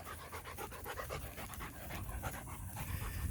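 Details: Show-line German Shepherd stud male, black with deep orange coat, in Florida, panting in quick, rhythmic breathy bursts, roughly four per second, with faint background noise.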